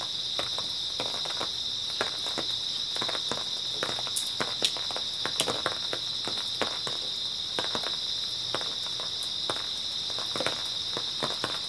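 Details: Early autumn night chorus of grass insects: a continuous shrill trill running steadily underneath frequent crunching footsteps, as someone walks along at an irregular pace.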